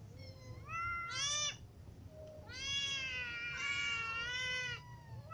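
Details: Hungry domestic cats, a ginger cat among kittens and adults, meowing: a short rising-falling meow near one second, then a long drawn-out wavering meow with rich harmonics from about three to five seconds, low hum beneath.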